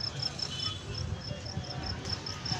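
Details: Insect calling with faint, high, evenly spaced chirps, several per second, over a low rumble of background noise.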